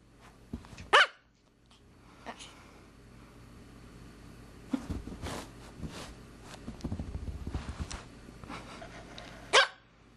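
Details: Pomeranian puppy, a female about 14 weeks old, lets out a sharp yap near the start and another at the end, with soft growly grumbles and shuffling in between.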